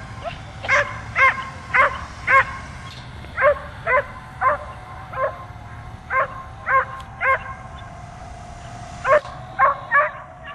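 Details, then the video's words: Dog barking continuously at a drone flying overhead and jumping up at it: sharp, harmonic-rich barks in irregular bursts, roughly two per second, with pauses; a steady mechanical hum of the drone runs underneath throughout. "DOG BARKING AND JUMPING AT DRONE"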